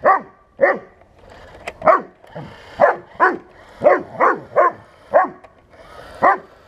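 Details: Bernese Mountain Dog barking repeatedly at a remote-control tank in 1:16 scale, about eleven forceful barks in a fast, uneven series, some closely paired, with faint mechanical background noise.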